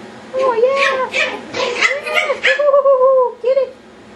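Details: Several Yorkshire Terrier puppies going wild at play indoors, producing a string of overlapping high whines and yelps, one long steady whine near the end, then a brief final yip.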